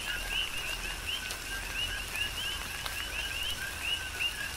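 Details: Many coqui frogs calling together in tropical rain, Big Island, Hawaii; quick rising chirps follow one another every fraction of a second, layered over a steady wash of rain and occasional louder drops.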